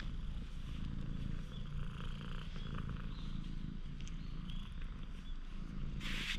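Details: Purring from a stray cat found by chance in a parking lot as it grows trusting, GoPro HERO8 recording; a quiet, even low rumble runs throughout, ending in a short burst of rustling noise.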